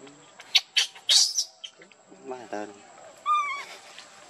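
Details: Baby monkey Leo crying while begging its mother for milk: after a few sharp clicks, short stacked harmonic whimpers come, then a higher, drawn-out wavering cry near the end, against a faint steady background hum.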